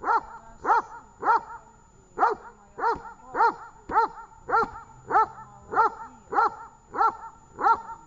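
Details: Training session with the dog Tash, Horlivka, 18 August 2019: a steady run of about thirteen loud, ringing barks, nearly regular at close to two per second, with short quiet gaps between them.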